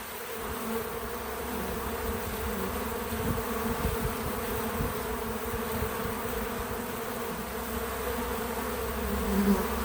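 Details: Continuous low drone of bees at a feeder on a small farm outdoors, a dense steady hum of many wings with gentle swells and a slightly louder buzz in the final seconds.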